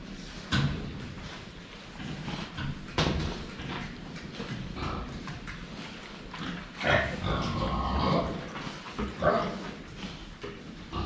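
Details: Pigs at a water drinker, seen from the front, giving short low grunts scattered among sharp clicks and splashing from drinking, with faint voices in the background.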